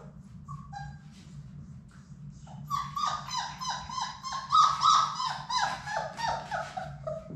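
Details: Six Labrador Retriever puppies, Sadie's litter, at play in their indoor play room; after a few faint squeaks, a puppy gives a rapid run of rising-falling whining yelps, about three per second, over a constant low hum.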